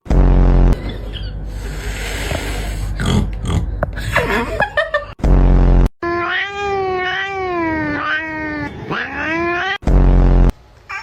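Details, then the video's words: A cat gives a long, wavering, drawn-out meow that rises and falls over several seconds, cut between short, very loud blasts of noise, with human voices and music heard earlier. "Cat Meowing Sounds"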